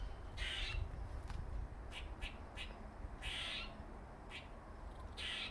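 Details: Squirrel known as Dirty Face, a male with a dark face mark: three drawn-out buzzy moaning notes with a few quick clicks between them, set against faint low hum.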